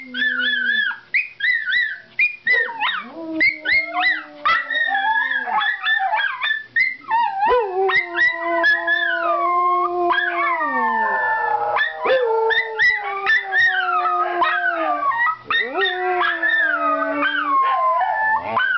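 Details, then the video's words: Several pet Miniature Schnauzers howl and yelp on seeing their owner coming home: overlapping wavering howls, sliding up and down, mixed with sharp high yelps in a continuous excited chorus. "Howling Schnauzers"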